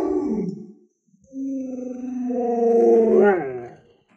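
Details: Pet Alaskan Malamute Luoluo, raised by grandma alongside other dogs, gives a short call, pauses, then a sustained, smooth, rising howl that swells and breaks off with a wobble, indoors.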